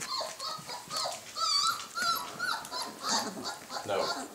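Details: Puppies indoors giving high, thin whines and squeaky whimpers in short repeated bursts, with a person talking to them over the top.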